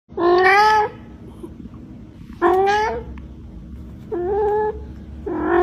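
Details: Domestic cat meowing indoors: four drawn-out, slightly rising meows, each under a second long, spaced one to two seconds apart over a low background hum.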